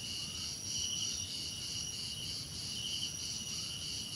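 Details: Crickets trill steadily in a calming nature ambience, with several high, pulsing insect voices layered into a continuous shimmering drone over light background noise.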